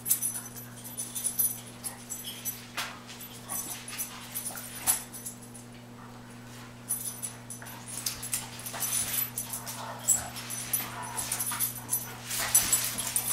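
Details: Dobermans at home squabbling over cooling pads on a hot day, each trying to take the pad the other lies on; dense bursts of whimpering and scuffling noises, short and irregular, over a steady low electrical hum.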